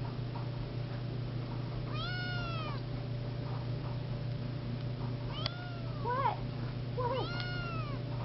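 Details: Siamese seal point kitten meowing indoors: three separate rising-then-falling meows, the later ones wavering and broken, over a steady low hum.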